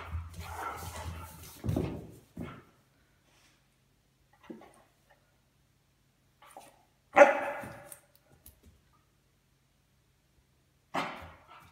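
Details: Weimaraner puppy pestering a patient adult Weimaraner indoors, driving it mad; a few short separate barks and yelps, one loud harsh bark near the middle and another near the end, with scuffling at the start and quiet gaps between.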